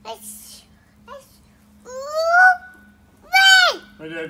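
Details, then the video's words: June, a cat who loves to sing loud, gives two drawn-out yowls that rise and then fall, the second sharper and dropping steeply, with a low steady hum behind. "June singing"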